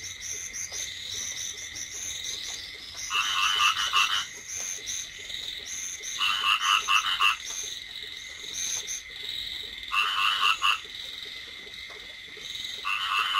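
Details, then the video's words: Rice field frogs calling in a flooded paddy during light drizzle: bursts of rapid, rattling croaks every three to four seconds. Between bursts, a steady high insect trill continues. "ซาวด์เอฟเฟคเสียงกบร้อง สนั่นทุ่ง Frog Sound Effect"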